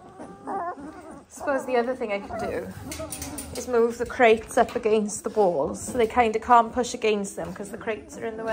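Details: Dalmatian puppies at 18 days old whine and squeal in a jumble of shaky, rising-and-falling cries, quiet at the start, then a steady stream of overlapping high whimpers.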